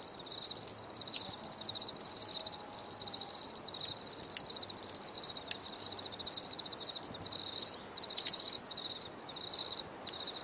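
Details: Steady high cricket chirping in pulsed bursts repeating about twice a second, with a faint lower tonal sound briefly in the background early on.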